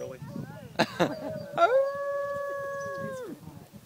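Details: Pet dog giving a single sustained howl, flat and steady for over a second and a half before dropping away, preceded by a few short sharp sounds and soft background noise indoors.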